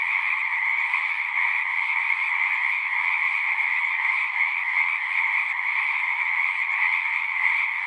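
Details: Chorus of frogs at a pasture pond, captured on a Zoom 6 recorder; many overlapping trills merge into a continuous shimmering drone, high and mid-pitched layers holding steady throughout, a faint low thump near the end.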